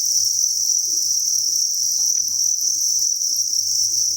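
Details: Crickets in a breeding facility, thousands together, produce a shrill, steady, pulsing chorus at high pitch, with soft low pattering and tiny clicks below.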